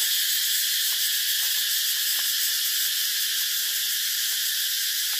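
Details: A continuous high, shrill cicada drone fills the whole stretch, even and unchanging, with faint soft ticks underneath.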